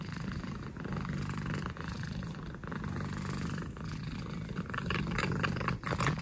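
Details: Orange cat Saffron licking the air, giving a steady low purr that swells slightly louder toward the end, with faint mouth clicks.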